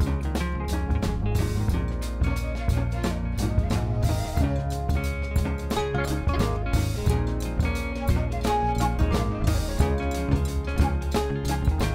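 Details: Steady drum-kit music with a heavy bass drum and layered instruments plays throughout, with no animal voice heard.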